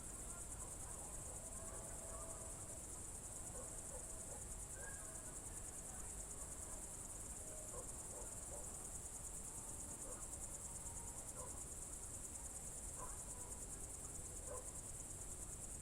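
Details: Summer evening, June 2023, in the Novye Buregi tract of Novgorod Oblast: crickets produce a continuous bright high trill, while scattered faint short bird chirps and whistles come and go over soft low ambient noise.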